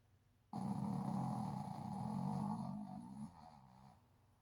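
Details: Sleeping Shih Tzu snoring like a human: one long, rough, low rasping snore lasting nearly three seconds, fading into a softer tail.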